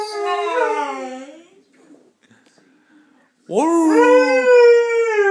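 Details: Pet Saluki called Steve howling indoors in a small room: a wavering, slightly falling howl fades out, a quiet gap with faint sounds follows, then a fresh loud howl swells upward and holds a steady tone.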